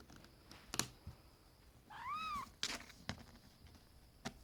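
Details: Pet cat indoors, from a household with cats Auri, Vin and 2-Euro, gives one clear rising-then-falling meow of about half a second, framed by sharp clicks and knocks of handling in a small room.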